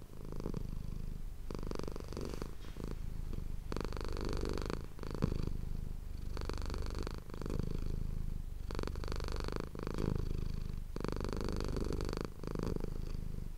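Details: Pet cat Manis purring contentedly beside an ASMR microphone, a rich low-pitched drone pulsing in even cycles of about two seconds, alternating stronger outbreaths with quieter inbreaths.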